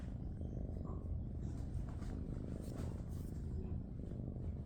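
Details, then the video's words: Ledger, a tabby shelter kitten, purrs loudly and steadily: a deep, continuous, evenly pulsing rumble that fills the whole stretch without a break, with faint room noise above it. "Ledger Deafens World With Purrs!"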